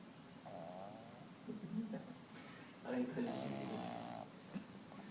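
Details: Bruno, a five-month-old Boston Terrier puppy, snores while asleep on a person's arm indoors; raspy broadband breaths come in two longer stretches, with a soft voice murmuring in between.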